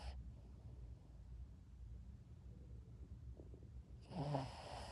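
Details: A sleeping Shih Tzu snores softly, a low rumbling breath ending in a louder snorting snore.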